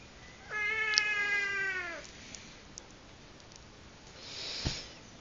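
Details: Domestic cat playing wild: one drawn-out, clear meow lasting about a second and a half, level and then slightly falling, followed by quiet rustling and a soft thump.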